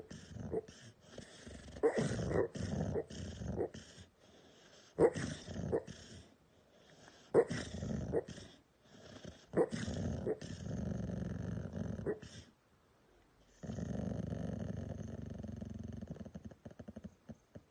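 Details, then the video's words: Sleeping dog snoring indoors; rough, rasping breaths in rhythmic bursts about every second, a brief silent pause, then a longer steady rumbling snore. "The snoring dog !!"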